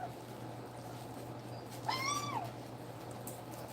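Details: A single drawn-out, slightly wavering whine from a two-week-old nursing puppy, rising then sliding down, with a steady background hum.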